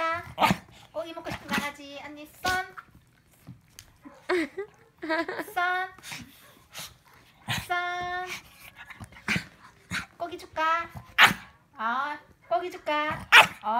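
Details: Several Shih Tzus playing together indoors, giving short high whiny yips and squeals in irregular bursts, some wavering, with a person talking between them.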